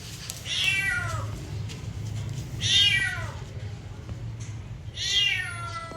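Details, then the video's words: Three loud falling meows from a domestic cat, spaced about two seconds apart, strong and tonal, with quiet low-pitched room hum between them. "cat meowing"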